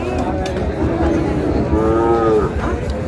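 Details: A thin, bony cow at Ambari livestock market on 2 August gives a short, slightly rising then falling moo against a dense rumble of crowd noise and chatter.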